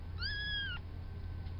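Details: Hank, a fluffy black and white male farm kitten a few weeks old: one thin, high meow, held level for about half a second before dropping away, with a faint low hum behind.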